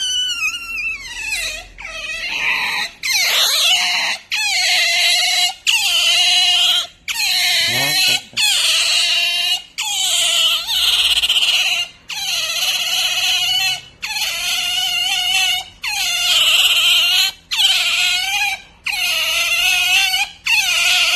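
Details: Pet otter making pampering noise: loud, high, squealing chirps in long bursts of about a second each, repeated steadily with brief pauses between them.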